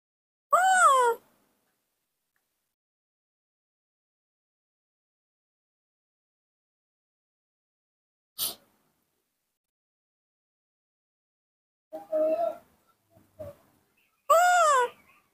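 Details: Baby monkey Nomi, a young female, throwing a morning tantrum while wanting milk: two loud, wavering, high crying wails, one near the start and one at the end, separated by long silence, a sharp click and faint shuffling sounds.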